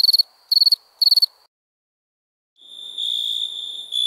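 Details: Three quick pulsed cricket chirps at night, then a second of silence, followed by a continuous, slightly lower buzzing insect trill that swells and holds to the end.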